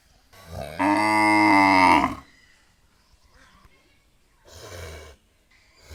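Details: One cow moo, steady and rich in harmonics, rising slightly at the start and lasting about a second and a half, followed by a faint, short, lower grunt-like call after a quiet gap.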